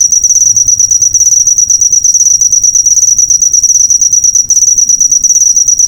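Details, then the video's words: Cricket used to tutor cage birds, giving a dense, sharp, high-pitched trill of quick pulses, briefly interrupted once near the end, with faint low noise underneath. "Masteran burung suara jangkrik mewah yg paling di cari"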